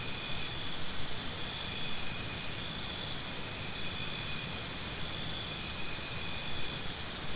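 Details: Cricket chirps used as sound therapy for tinnitus: a clear run of evenly spaced high chirps, roughly two per second, standing out for several seconds over a continuous shrill background insect chorus.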